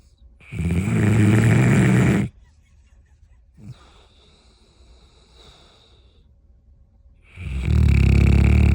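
A bloodhound snores loudly, with long rumbling low-pitched breaths separated by a quiet pause.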